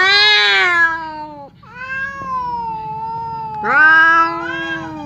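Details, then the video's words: Fierce cat Temon and quiet cat Lelo trading threats through a divider that stops them from fighting; a harsh loud yowl, a lower drawn-out moan, then another rising strained wail. "SUARA KUCING BERANTEM | cat fight sound"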